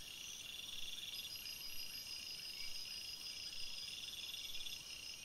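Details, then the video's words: Crickets at night in a forest, a chorus of dense high trills with pulsing bursts at mid pitch and steady shrill ringing above, layered continuously without pause. "Crickets Sounds"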